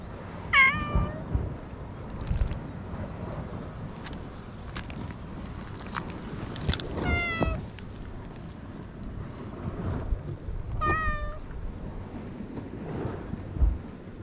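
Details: Stray cat on an island, filmed with a GoPro HERO8: three drawn-out, harmonic meows near the start, at about seven seconds and around eleven seconds, each sliding downward, over a steady low rumble with scattered clicks and soft knocks.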